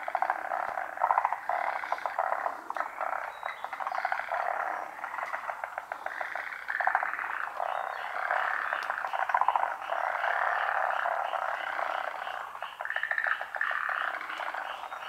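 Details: Forest green tree frogs, a species endemic to Japan, calling while spawning at midday in the rainy season on branches over still water. Dense overlapping rattling, pulsed croaks form a continuous chorus from many frogs.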